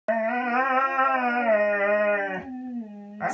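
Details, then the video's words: One of a pair of Siberian Huskies howling indoors, coaxed into singing along with their owner: a long, rich, steady-pitched howl held for over two seconds, then a softer, lower second howl begins before a short noise. "Siberian Husky Singing Lessons"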